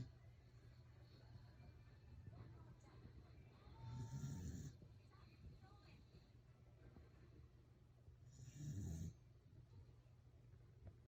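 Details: Sleeping Welsh corgi snoring: two low, rough, rumbling snores about four and a half seconds apart, each lasting under a second, over a steady low indoor hum.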